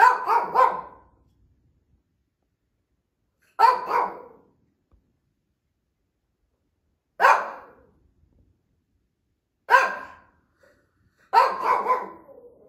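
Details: An older female Shih Tzu gives bright, yappy bursts of two or three barks at night. She has been barking more lately and demanding treats. Her owner thinks she hears another dog.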